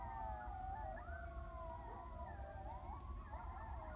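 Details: Coyotes howl together at about 2am in Heath, Texas, several wavering, siren-like voices sliding up and down and overlapping.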